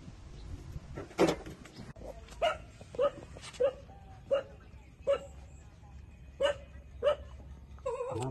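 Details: Newborn puppies, 27 days old, suckling milk from their mother dog; short squeaky yelps repeat about every half second to second, roughly nine in eight seconds, with a low background rumble.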